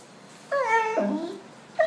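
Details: Dog named Bono, described as smiling and almost talking, gives a short whining, voice-like call that bends up and then slides down, followed by a brief second yelp, while being told in Portuguese to go bathe.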